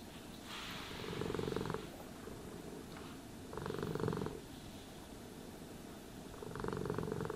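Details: Domestic cat purring while being brushed and groomed: a steady low rumbling purr runs throughout, broken by three swishing brush strokes about every two and a half seconds.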